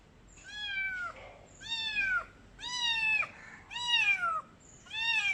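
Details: A little blue- and green-eyed female Khao Manee kitten (Felis catus) meows loudly, with high, bright, drawn-out calls repeated about once a second.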